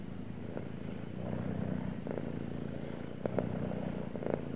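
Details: Deep, buzzing purr of a male domestic cat, steady low vibration in breath-length cycles, with a few brief crackles near the end.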